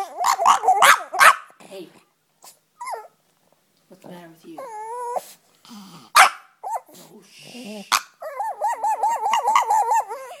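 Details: A frustrated pet Yorkshire Terrier, kept from chasing the cat, gives a rapid run of yips, then broken whimpers and a long trembling, warbling whine at the end.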